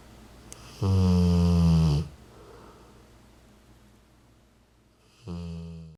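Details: A Rottweiler snores in deep, rumbling, drawn-out breaths with pauses between them while happy and comfortable on his owner's lap, 40 days after a hemangiosarcoma diagnosis and splenectomy.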